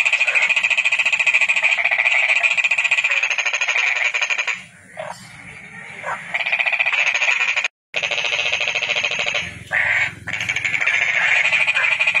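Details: Toad giving long, dense, buzzing pulsed trills that run for seconds at a time, broken by short quieter gaps and one abrupt cut, with a low background rumble.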